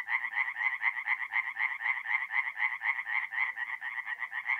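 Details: Tree frogs calling after dark at a forest pond in north-east Italy in mid-April: fast, evenly repeated nasal croaks, roughly four a second, blending into an unbroken rasping chorus.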